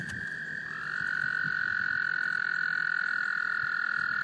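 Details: Breeding male American toad in a small South Carolina pond, Laurens County, March 2014, calling in females: a fainter trill gives way after a second to a louder, slightly lower sustained trill.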